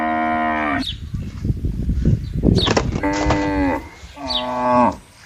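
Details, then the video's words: Herded cattle walking on a green field, lowing three times: long, deep, harmonic-rich moos, the second and third slightly falling at the end, separated by a stretch of rustling, scuffing noise. "suara sapi lembu lucu"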